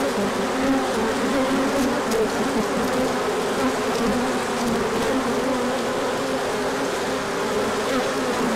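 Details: Swarm of bees making an orientation flight on a sunny day after a cold spell, 24 March 2024; steady layered buzzing from many wings, individual bees passing with wavering pitch over a constant drone.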